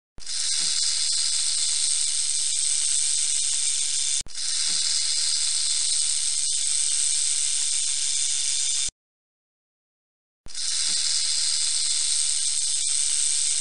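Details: Rattlesnake rattling: a steady, dry, hissing buzz held for about four seconds, cut off abruptly, resumed for another four seconds, then a short silence before the sizzling buzz returns unchanged.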